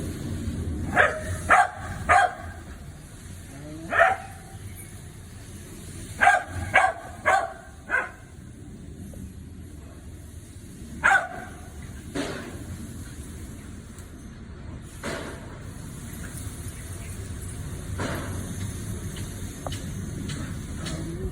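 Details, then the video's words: Dogs greeting a squirrel with bursts of barking, clustered sharp barks in the first eight seconds, a lone bark near twelve seconds, then quieter with low background rumble. "Dogs Say Hi to Squirrel"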